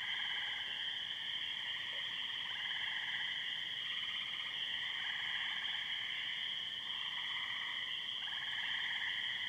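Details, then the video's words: Spring peepers and tree frogs chorus after heavy thunderstorms on a May night in Muskoka, a dense unbroken wall of high trilling and peeping bands layered at several pitches, steady throughout. "frog song may 22, 2013"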